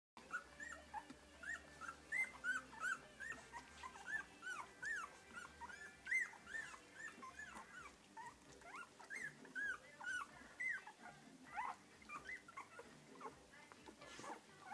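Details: A litter of three-week-old English Cocker Spaniel puppies giving high, squeaky whimpers that overlap one another.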